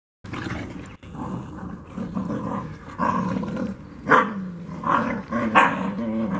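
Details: Two-month-old Black Russian Terrier puppies: low rumbling growls run continuously, with sharper yelping barks rising over them in the second half.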